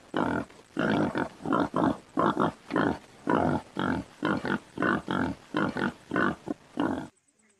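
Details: In Kanha National Park, Madhya Pradesh, on 2 September 2022, a wild boar gives a steady run of rough, throaty grunts, roughly two each second. Finding: Wild boar.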